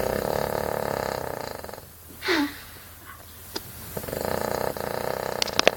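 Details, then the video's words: Betty, a Cavalier King Charles Spaniel, snoring while asleep: long, raspy, rattling snores, the first lasting almost two seconds and the next coming about two seconds later, with a brief rising squeak between them and a few soft clicks. "cavalier king charles spaniel aka Betty snoring her head off"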